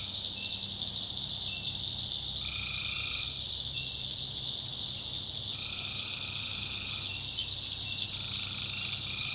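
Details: Nighttime tree frog chorus from a North Carolina backwoods swamp: a bright, unbroken high drone with short and longer lower trills scattered through it, plus a soft low hum in the background.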